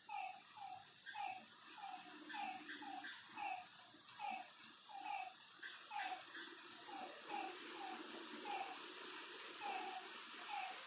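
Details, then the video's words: At night beside a lake, frogs keep up a regular series of brief, falling, nasal notes, about two per second, backed by a thick, continuous chorus. "Lakeside night creatures and frog sounds"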